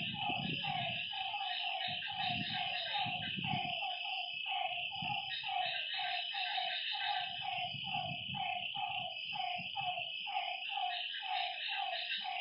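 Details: Lakeside frogs at night give short, bending notes about twice a second, steady and overlapping, over a continuous high-pitched insect shrill. Occasional low rumbling patches come and go.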